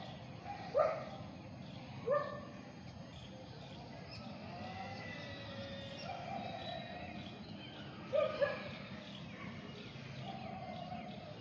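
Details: Dog heard in short, sharp barks at about one, two and eight seconds, with chirping birds and a steady background hum between them.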